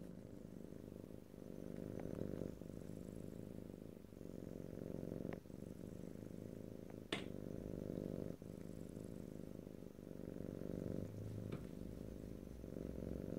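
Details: Close stereo recording of a pet cat's continuous purr, a deep pulsing rumble that rises and falls gently in loudness with each breath cycle, broken by a sharp click near the middle.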